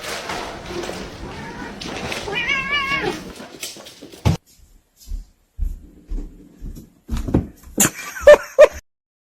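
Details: A domestic cat gives one drawn-out, wavering meow near the start, with a warbling tone, amid indoor voices, a burst of music and sharp knocks and clatters afterward.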